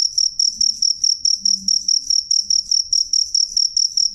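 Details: Cricket giving a loud, clear, high-pitched chirp repeated steadily about four times per second, each chirp a short sharp pulse over a faint low background rumble.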